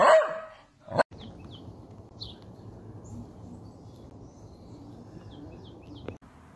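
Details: Playful Dachshund letting out a single sharp, loud bark at the start, followed by a knock or click, then a quiet room with faint high chirps.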